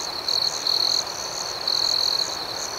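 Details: Nighttime crickets give three loud, high, ringing trills of varying length, the last the longest, over a steady background chorus of distant crickets.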